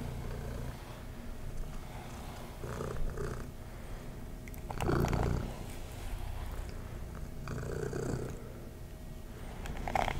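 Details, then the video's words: Domestic cat purring while being brushed: a steady low rumble runs throughout, broken by bursts of scratchy brushing at about five and eight seconds. "ASMR Kitty Tingles (Purring, Brushing)"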